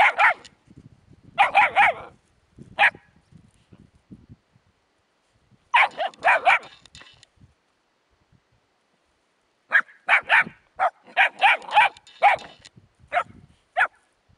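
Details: Young puppies confronting a hedgehog bark in rapid high-pitched volleys, two to five yaps per burst, separated by near-silent pauses of a few seconds.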